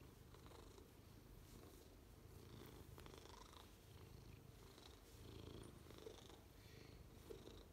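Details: Steady low purring from Ragnar, a six-year-old Maine Coon awaiting adoption, recorded inside; a continuous gentle rumble with a few faint rustles and ticks over the top.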